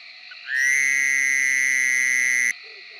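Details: Buzzy, nasal cry of a Fowler's Toad, a Tennessee species whose call is said to resemble a baby crying or an alarm clock; a single even drone of about two seconds sits above a soft background frog chorus.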